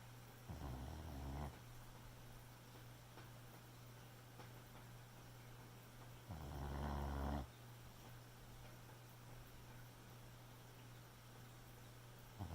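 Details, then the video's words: Boxer puppy snoring while asleep at night; two low, rumbling snore breaths about six seconds apart, each lasting roughly a second, with a steady low hum in the room between them. "Boxer Puppy Snoring"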